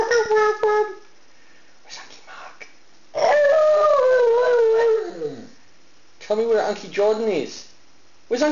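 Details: Pet dog howling, described as talking and singing: a short howl, then a longer wavering howl sliding slowly downward and breaking off, followed by more broken, voice-like howling mixed with a person speaking.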